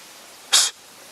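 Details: A single harsh, breathy snort lasting about a fifth of a second, from a curious wild Japanese serow beside a mountain stream in Japan, mid-September, as a hostile greeting or intimidation toward a person snorting back.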